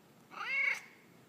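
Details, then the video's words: A single clear meow, slightly arched and about half a second long, from Peyton, a male house cat who likes to 'talk' to his humans. He is responding indoors as his owner asks what he did today. "Peyton the Talking Cat"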